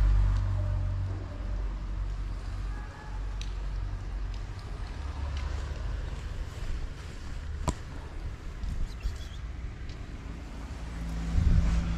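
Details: Steady low rumble of passing traffic and broadband rain-like hiss outdoors, with a sharp click near the middle and a louder rumble at the end; no animal voice stands out.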